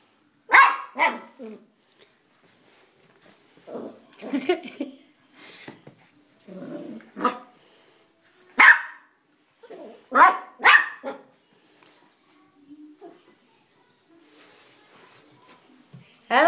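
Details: A dog that climbs the stairs but won't descend gives scattered single barks among a person's repeated coaxing calls, with quieter gaps between outbursts.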